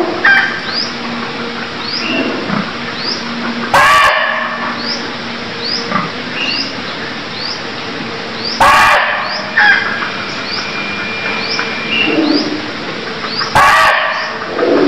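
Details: A barking deer in Cambodia gives short, harsh, explosive barks, one about every five seconds.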